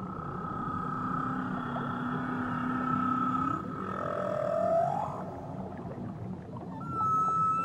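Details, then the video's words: Tahiti whale song with a deep, drawn-out moan that rises smoothly to a higher held note, fades, then gives way to a brief bright high tone near the end, over steady low underwater rumble. "Nature Sounds Only Whales"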